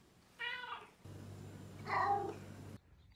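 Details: A Maine Coon cat, in its new house and asked if it is hungry, talks back to its owner with two clear, drawn-out meows, the second rising then falling, with a low hum behind.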